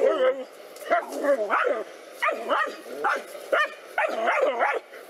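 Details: Two black dogs fight a cobra, barking steadily. The sharp, harmonic barks come in bunches of two or three about every second, some breaking into yelps.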